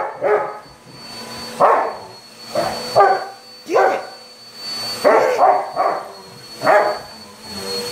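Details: Rottweiler dog attacking a vacuum cleaner, giving deep, rough barks and snarling growls in uneven bursts, about seven over eight seconds, some doubled, with a steady machine whine beneath.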